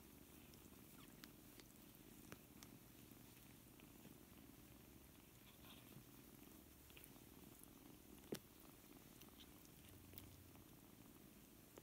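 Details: Seven kittens, four weeks old, playing together and learning to play with each other; a soft, steady low rumble of purring runs throughout, with a few faint clicks and one sharp tap near the end.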